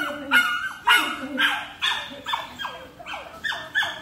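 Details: American Labrador in play drive training with a handler, working for a toy; rapid, sharp, high-pitched excited barks, about eight in four seconds, each with a quick falling tail.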